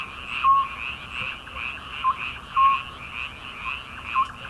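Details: Frogs calling in midsummer, a dense chorus of rapid pulsed croaks layered with short clear tonal notes recurring about every second.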